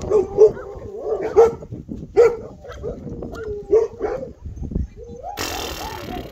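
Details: Bernese Mountain Dog puppy, eight weeks old, black male of the Colline d'Eole litter, giving sharp high-pitched yips roughly once a second, some curling into whines, then a burst of broadband noise at the end.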